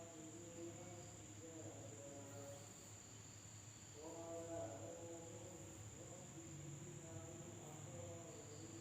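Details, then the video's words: Night-time insect chorus in a village in Indonesia, a persistent high whine with layered pulsing trills that swell around the middle, plus low background rumble. "the sound of insects at night in the village of Indonesia SUARA SERANGGA MALAM HARI"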